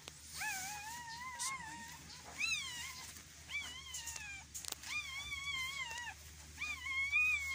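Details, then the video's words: Belgian Malinois giving birth: a run of high, quavering whines, each one to one and a half seconds long with wobbling pitch, repeated with brief gaps, over a low steady hum and occasional clicks. "Actual na Panganganak ng Belgian malinois"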